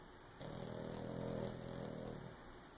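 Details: Pug asleep and dreaming gives a single drawn-out snore of about two seconds, a buzzy, nasal droning tone that swells and fades, with quiet breathing around it.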